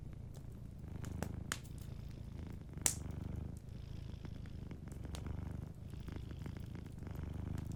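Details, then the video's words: Gently purring cat asleep near a crackling fireplace; a continuous deep rumble rises and falls with its breathing, broken by bright fire pops around 1.2, 1.5 and 2.9 seconds. "Warm Fireplace Ambience with a Sleeping Cat 🐱💤Fireplace & Soft Purring"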